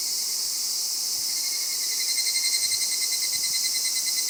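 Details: Male higurashi cicadas met after 5 pm on a mountain descent; dense, shrill, high-pitched cicada drone with rapid rhythmic pulsing that swells in the second half, plus a thin steady tone beneath.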